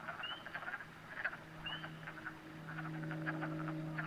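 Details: Frogs in a New Hampshire pond at night, with occasional rising whistled peeps among dense, rattling clicks, while a steady low hum grows stronger through the second half.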